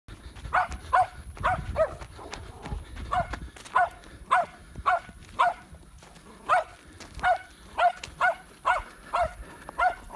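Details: Seven-month-old Patterdale Terrier puppy baying a wild boar hog it found in Florida, August 2019: sharp, loud barks repeated steadily about every half second. Low rumbling noise underneath.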